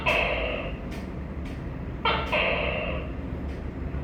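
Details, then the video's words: Two tokay gecko calls about two seconds apart, each a clipped first note leading into a longer nasal, ringing second syllable, over a constant low-pitched background hum. "Tắc ke và tiếng kêu gecko tukay"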